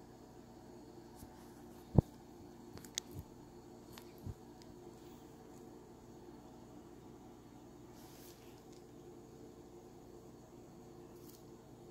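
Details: Quiet indoor room tone with a low hum and a few soft clicks and taps, no animal voice heard.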